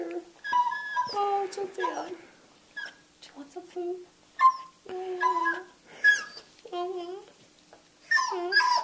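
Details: Male beagle indoors yodelling and whimpering for food, his "yodel-woe": broken, wavering short howls and whines in uneven bursts, a voice speaking gently and soft music faintly present.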